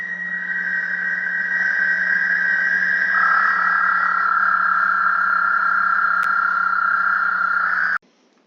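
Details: A male Eastern American toad in Michigan gives a high-pitched, tremulous, musical breeding trill later in the spring calling season; such trills can last up to 30 seconds before ending abruptly.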